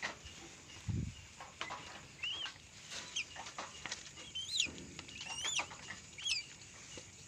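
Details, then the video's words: Newborn litter of three Asian palm civets with their mother just after birth: several sharp, rising chirped squeaks with a bright, piping tone, spaced about a second apart, alongside soft clicks and one dull thump early on. "Musang pandang melahirkan 3ekor"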